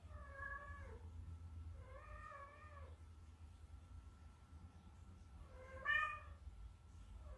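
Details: Indoor Munchkin cat meowing to get its owner to play: three clear, wavering meows, each under a second, with a long pause before the last and louder one, over a faint low hum.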